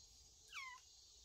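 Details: Cat from a family sheltering in a woodpile, recorded 25 August 2022: a single short, thin mew sliding steeply downward in pitch, over a steady high chirring of insects.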